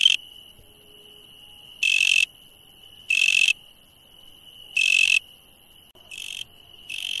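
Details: Insects at night: a steady, thin, high ringing tone runs throughout, broken by loud, rasping, buzzy bursts roughly every second and a half, six bursts in all.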